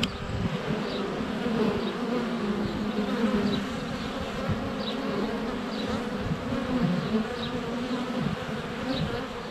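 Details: Honey bees at the hive entrance during sunny February weather, GoPro close up; continuous dense buzzing hum with passing wingbeat tones, and faint high birdsong notes repeating roughly every second over the drone.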